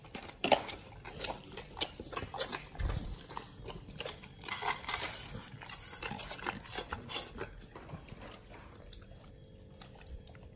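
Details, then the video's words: Raw-fed Pit Bulls crunch through frog legs, soft shell crab and duck feet. Dense, rapid crackling bites and wet smacks fill the first two thirds, then thin out into quieter, sparse chewing toward the end. "Pit Bulls eat RAW Frog leg&Soft shell crab combo [ASMR] BARF MUKBANG"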